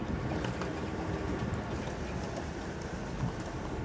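Steady low rumbling wind and engine-like noise with no animal voices.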